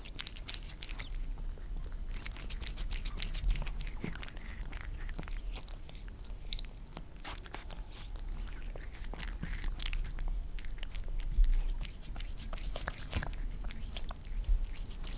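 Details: Maine Coon Lissy and British Shorthair Fritz lapping creamy treats from a glass tabletop, captured from below; a dense, steady stream of moist clicking licks and tongue smacks in a quiet room, with occasional louder taps.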